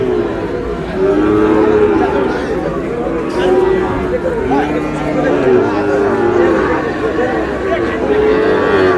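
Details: At a crowded Chattogram cattle market on 1 May, Sahiwal bull calves and other cattle low repeatedly. Drawn-out, steady moos recur every second or two beneath a continuous hubbub of people talking.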